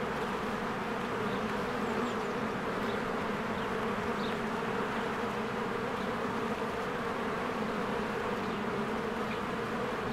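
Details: Honeybees flying diligently around a spring hive, an even, continuous swarm drone with humming bands, scattered short bird chirps overhead.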